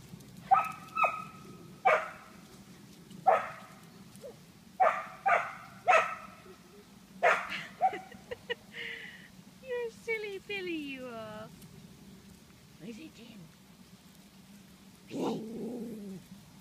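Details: A terrier confronting horse poop lets out sharp barks in quick bursts of two or three, then a drawn-out whine that falls in pitch, followed by a few quieter yelps, over a steady low hum.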